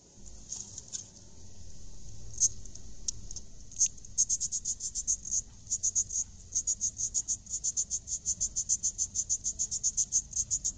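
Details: A Greater death's-head hawkmoth, a honey thief, squeaks at beehive box No. 8 on September 1, 2020. Short, high, thin chirps repeat about three times a second, steady after a scattered start, over a faint low rumble.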